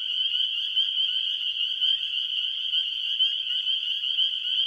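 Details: A dense, deafening chorus of spring peepers at a marsh: countless high, piercing peeps overlap into a continuous shrill ringing with no break, loud enough to hurt the ears.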